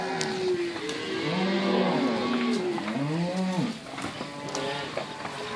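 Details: Cows of Inverland and La Florida in March 2014, some nursing and others pregnant, mixed with weaning calves. A long, wavering moo shifts pitch up and down for nearly four seconds, followed by quieter background noise.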